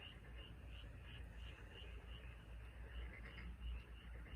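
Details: A frog chorus on the Taean Peninsula, Korea: one caller's bright, regular notes repeat about every half second above the wider chorus, while a heavy low-frequency rumble persists beneath.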